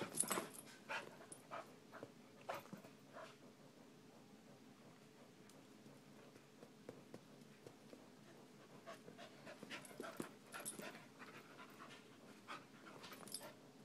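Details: Dog panting in a household with a 10-month-old puppy and a 12-year-old chihuahua: soft, breathy huffs repeated about 100 times a minute, quiet and uneven, with louder bursts near the start and again around ten seconds.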